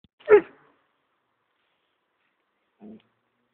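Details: Archie, an Airedale Terrier confronting a goat, fires off a single loud, short bark, followed after a long silence by a faint low grunt.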